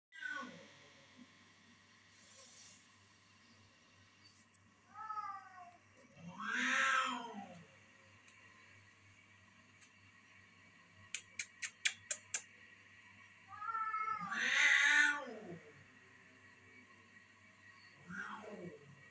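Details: Domestic cat Twinkle fighting with another cat visiting the house: drawn-out wavering yowls with stacked harmonics rise and fall in several bouts, the loudest near seven and fifteen seconds, with a quick run of sharp clicks between them over a steady low hum.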